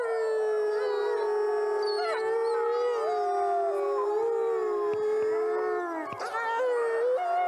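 Wolves howl together in long, sustained, gently wavering tones, with voices overlapping at different pitches.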